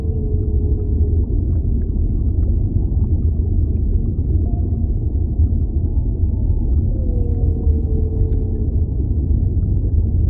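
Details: Whale vocalizations underwater: a gently falling moan at the start, short tonal notes in the middle, then a clearer long moan sweeping downward, over a steady deep rumble of water.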